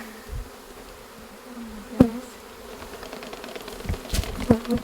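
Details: A honey bee swarm being dumped into a hive gives a loud, steady, low hum from the bees beating their wings incredibly fast.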